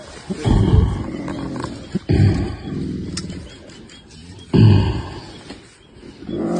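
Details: Two silverback mountain gorillas in Rwanda fight over which direction their family of 19 should take into the forest, giving deep, guttural roaring bursts.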